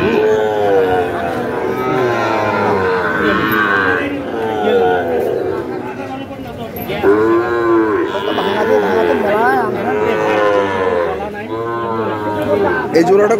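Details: Sahiwal cattle, fattening bulls and calves at Ambari market, Dinajpur, 18 September 2023: several overlapping moos in the second half, some bending up and down in pitch, amid continuous human chatter and market bustle.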